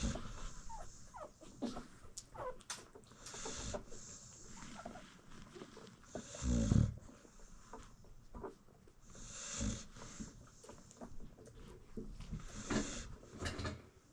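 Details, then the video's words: Sleeping American Bully mom nursing her newborn litter indoors: soft, low snores return about every three seconds, the loudest near the middle, over steady faint rustling and small puppy movements. "Newborn American Bully Puppies Feeding While Mom Snores"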